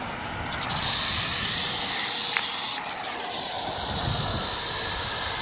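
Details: On 1 July 2018 a rattlesnake shakes its rattle, the dry, high buzz swelling loudest in the first two seconds, then easing to a softer, steady hiss with some low background noise.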